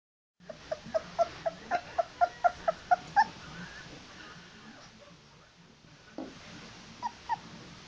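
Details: Old English Sheepdog puppy, not yet on solid food, out of the whelping box and seeking more food: a rapid run of about ten short, high whimpering yips, then quiet rustling and two or three further faint whines.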